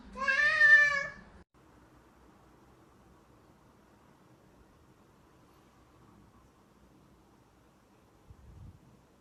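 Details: A single short, bright meow from a cat, about a second long, followed by near silence with a faint low hum.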